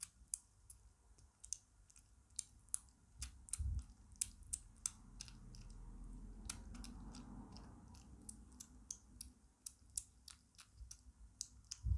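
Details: Quiet room with sharp repeated clicks and soft chewing noises, no vocal animal call.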